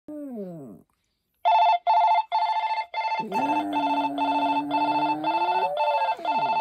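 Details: Poppy, a Maltese, gives a short falling howl, then a long steady mid-pitched howl that rises near the end, sung over bursts of a loud, rapidly pulsing electronic ringing tone.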